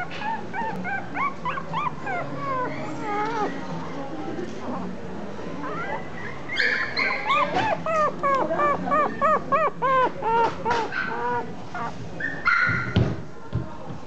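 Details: Female Chihuahua whimpering in quick, bending high-pitched whines and short yelps, growing louder and more rapid about halfway through, with a brief clatter of noise near the end.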